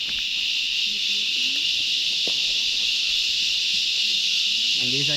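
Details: Cicada found on a tree trunk, its body the same colour as the bark, during a hike on Lakegala near Meemure, Sri Lanka; a steady, high, hissing drone runs unbroken throughout, with faint voices beneath.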